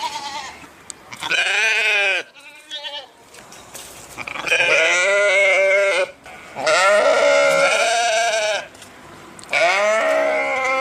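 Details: Sheep giving a series of loud, wavering bleats, each about one to two seconds long with a trembling, nasal quality, separated by quieter gaps with faint background noise.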